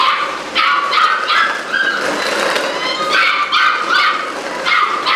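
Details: A litter of Malinois puppies, eight weeks old, gives bursts of high-pitched yelping barks and whiny yips, overlapping calls rising and falling in quick succession with brief gaps, against a steady hiss.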